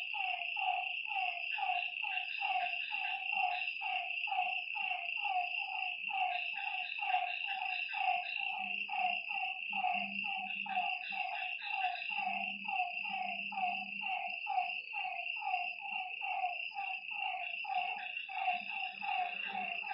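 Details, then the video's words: Frogs calling at night by a lakeside: short croaky notes sliding downward, about one per second, overlapping from several callers, over a steady high insect drone and a faint low murmur. "Lakeside night creatures and frog sounds"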